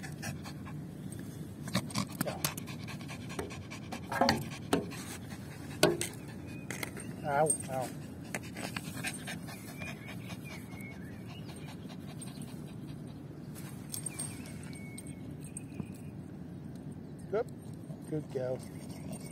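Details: Panting from Lucy, a female Yorkie, between rounds of fetching her ball: quick, airy breaths in an uneven rhythm, interrupted by a woman's coaxing voice talking to the dog early on and some handling noise.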